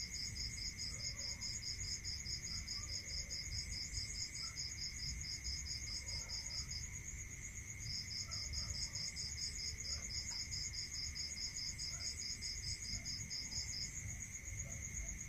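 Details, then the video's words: Night chorus of crickets in the countryside: rapid regular high pulses run steadily, break off briefly near the middle, then resume, layered over continuous shrill ringing and a lower droning tone. "Listening to Cricket Sound Natural meditation music"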